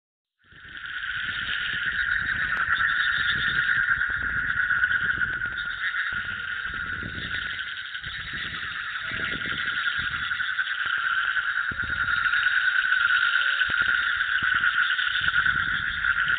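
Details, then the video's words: Frogs croaking in a dense, continuous chorus recorded in the field, a steady trilling band of rapid pulses that swells slightly toward the end, with faint low rumbling underneath. "Frog Croak"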